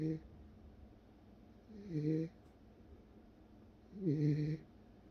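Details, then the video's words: Sleeping Welsh Corgi snoring: two low, buzzy, rattling breaths about two seconds apart, with a soft hiss riding on each, in a quiet indoor setting. "웰시코기 코골이"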